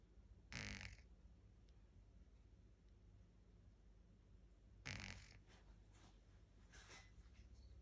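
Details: A 10-week-old Shih Tzu puppy snoring indoors: two short, loud, breathy snorts about four seconds apart, with quiet room hiss between them.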